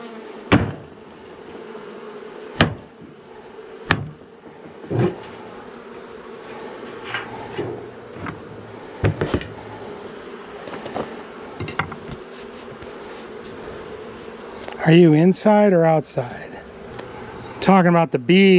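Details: Angry honey bee colony, long established in the wall of a house, disturbed after dark on day one of a March 6 cutout rescue; a steady droning hum runs throughout, broken by sharp knocking strikes, with brief human speech near the end.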